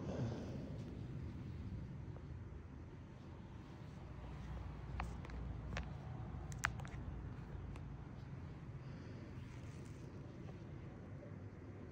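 A low, steady indoor rumble with a few soft clicks, and no clear animal voice.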